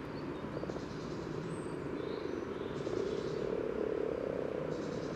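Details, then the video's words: Common frogs calling at a spawning site by the yellow trail in Sunnersta, Uppsala, recorded with a parabolic microphone: a dense, continuous low purring chorus of overlapping grunts, with faint high bird notes above. "Spelande vanlig groda"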